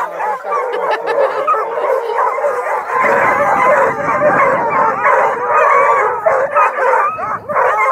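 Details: About two dozen hounds (Bluetick and Redbone Coonhounds, Black and Tans, beagle mixes) at a kennel near Kingston, Ontario bay, bark and bawl at once in overlapping wavering howls, sharper barks and yips breaking through.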